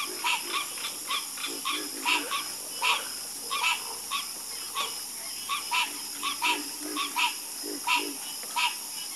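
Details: Harmonious frog chorus: several frogs give short, ringing croaks in loose, overlapping runs, some doubled, with lower grunting croaks underneath and a continuous hiss.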